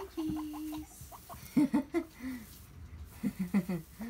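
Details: Domestic guinea pigs exploring on the floor around a pile of hay, bubbling and popping happily; a short level squeak opens, then a series of low stuttering pops and chuckles in uneven bursts.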